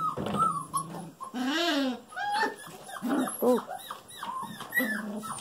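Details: Golden Retriever puppies, female littermates over five weeks old, playing indoors; mixed whines and yelps, one long wavering squeal mid-clip, plus lower grumbly yips, overlapping a woman speaking.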